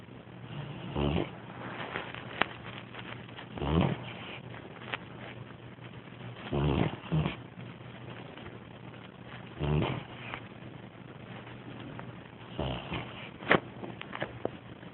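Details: A new Bloodhound puppy snores in soft, rasping breaths that recur about every three seconds.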